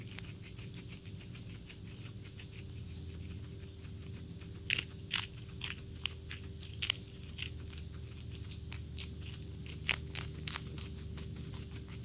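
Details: Vanilla, an all-white flat-furred pet guinea pig, eating a snap pea, with rapid crisp crunching bites repeated throughout, several louder cracks standing out, over a low steady indoor hum.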